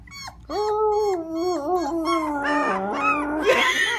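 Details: A Cocker Spaniel puppy, howling for the first time at night when tired after a long ride and asked to howl, gives a long, wavering howl that holds steady, then dips and wobbles.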